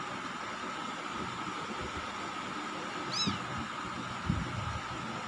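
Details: Kampung kittens twenty days old, from a litter of four born 31 August 2020 in a house attic in Indonesia; a single brief, high arched mew rises and falls around the three-second mark over a steady background hum, with soft low thumps.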